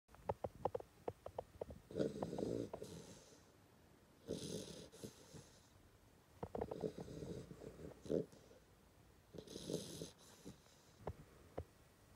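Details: A 10-week-old Hungarian Vizsla puppy snores in slow, rasping bursts, each breath rattling for a second or two.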